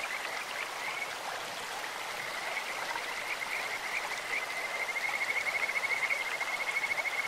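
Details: In a clear mountain stream, a Kajika frog gives scattered high chirps, then a long, even, pulsing whistle-trill that builds through the last seconds, all over steady flowing-water hiss.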